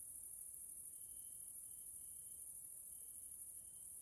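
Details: Central European grasshoppers in a nature area in Hungary during the evening: a constant high, sizzling insect drone dominates, with faint thin tonal notes strung together in a loose repeating series.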